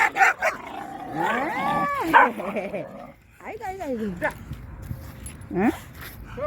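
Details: A Jindo dog on a walk in Busan barks at an older dog it has feared since a bad meeting on a wooded hill at two months old. It gives bursts of sliding, arching yelps, and a person talks throughout.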